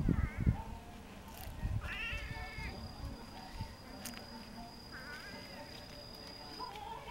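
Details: Domestic cats down from a block wall, twisting their bodies as if dancing to Indian music. Three bending meows, the middle one strongest, come among low thumps and a thin high steady tone.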